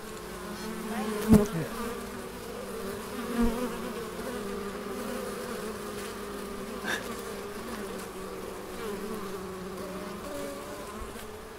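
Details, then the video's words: Bees droning in the Biblical Gardens of Elgin, Moray, Scotland, a continuous low hum of several insects, broken by a couple of short knocks or taps early on and a faint click later. "BEES IN ELGIN, MORAY, SCOTLAND"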